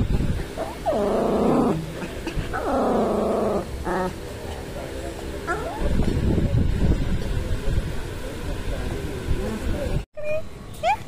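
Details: Pomeranian dog being taken for an injection, giving two drawn-out, harmonic whining cries of about a second each, then shorter yelps, over human speech and a low vehicle rumble.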